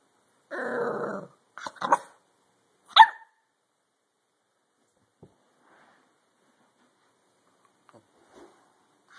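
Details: A dog gives a low, rough growl lasting under a second, then two short, sharp barks about a second apart, followed by near silence with a few faint clicks.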